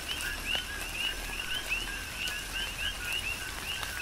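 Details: On Hawaii's Big Island, a chorus of coqui frogs in tropical rain: rapid, overlapping two-part calls, a short low note then a brighter upward-sliding one, repeating several times a second while rain patters.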